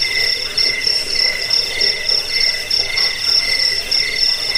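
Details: High cricket chorus, meant for chasing off rats and as a bedtime and bird-training sound: a bright very high chirp repeated roughly three times a second above a constant shimmering trill.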